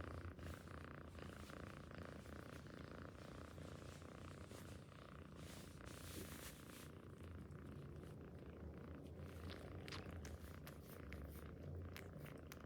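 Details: Domestic cat purring close up, a steady low rumbling pulse throughout, with soft rustling and brief scratchy contact noises.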